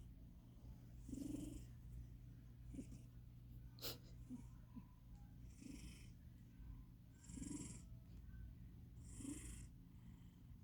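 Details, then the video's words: Wu Bear, a fat house cat, snoring in sleep; uneven wheezy snores with low grumbling tones and hissy breaths come at irregular gaps, plus a brief sharp click near the middle, all over a constant low background hum. "Wu bear snoring like a beast"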